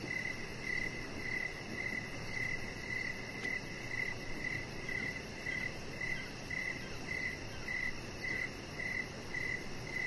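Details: Crickets chirping in the evening beside a deck with decoration lights, while a chihuahua puppy lies nearby: short, high, even pulses about twice a second over a steady low outdoor rumble.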